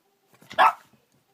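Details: Puppy reacting to something under the bed, indoors: one short sharp bark after a few faint soft sounds.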